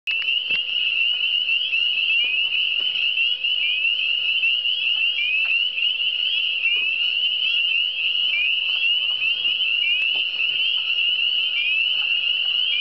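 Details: Frog chorus in the Eastern Townships: dense, continuous high trilling from many frogs, each call a short rising sweep, overlapping steadily throughout with a faint steady hum underneath and a few soft clicks.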